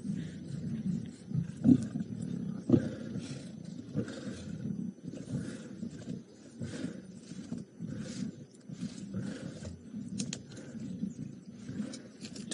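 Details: Wild lions with full bellies growling while feeding on a buffalo carcass at Djuma Game Reserve on March 13, 2018: deep, rough rumbling growls in uneven pulses about once a second, with rasping snarls throughout.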